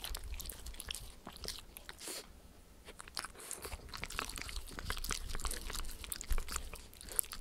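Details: Spencer the Shetland Sheepdog and Oreo the miniature Schnauzer lapping peanut butter and coconut oil from a Perspex sheet. Steady crunchy, sticky smacks ease off briefly around two to three seconds, then return in a busy rapid run. No speech.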